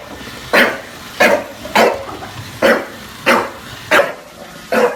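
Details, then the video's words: Bulldog barking at a Roomba in New York City: seven punchy, harsh barks spaced about two thirds of a second apart, with a quiet background hum. "Junior vs Roomba #bulldog"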